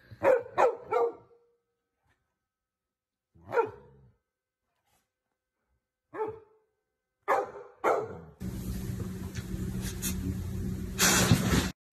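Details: Golden Retriever at home during the quarantine, giving a quick burst of three sharp barks, then single barks spaced a few seconds apart, before steady background noise and music take over the last few seconds.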